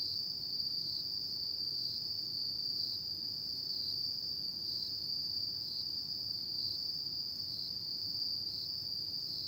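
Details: Autumn insects at night, a steady, high, shrill trill holding one pitch without pause, with faint rhythmic dips in strength and a soft low rumble underneath.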